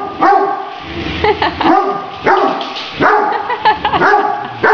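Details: Great Danes barking while playing with a remote-controlled toy tarantula; loud, harmonic barks come in bursts at uneven intervals, some doubled, with brief quieter gaps between them.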